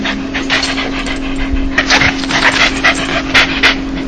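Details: Dog 'laugh' made when happy or joyful: soft breathy panting bursts, uneven at first, then sharper huffs about every quarter second in the second half, over a steady low hum.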